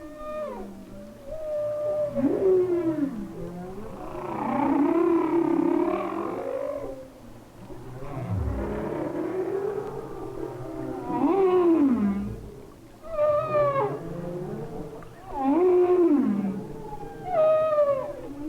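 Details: Humpback whale song recorded by hydrophone off Maui in winter: long, complex moaning phrases that rise and fall with harmonics, swooping upsweeps and downsweeps repeated in clusters roughly every two to three seconds, some pulsed groans, no other clear sounds.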